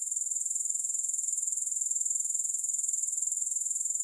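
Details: Grasshoppers heard without music: an unbroken, very high, shrill trill pulsing rapidly and evenly, about three to four beats a second, steady in loudness throughout with nothing else audible.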